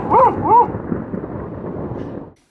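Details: Female Border Collie Lena, born November 2014, barking at a thunderstorm: two rising-and-falling tonal barks open the moment, followed by a wash of rain noise and low thunder that fades out.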